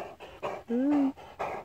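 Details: Heavy breathy panting from a struggling Great Dane, short puffs at a steady rhythm, broken by a man's rising voice speaking close by indoors.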